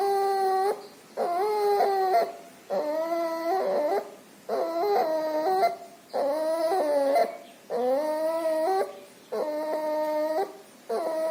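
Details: Puppy infected with pneumonia and distemper; loud, whistling, whine-like breaths with stepped pitch changes, about seven in eleven seconds at a steady rhythm, each separated by brief quiet pauses.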